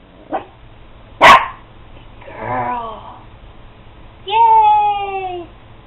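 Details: Potato, a female pet dog, barks on the command "speak" while doing tricks: one sharp, loud bark, then a drawn-out, slightly falling, tonal bark-howl lasting over a second, with the owner's voice and a faint click in the room.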